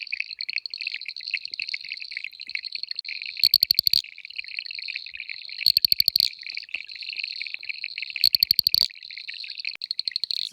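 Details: Several Boettger's Cacos call at night around a small dam in the Klein Karoo. A dense, high, rapidly pulsed chorus runs throughout, broken by three loud rasping click bursts about every two and a half seconds.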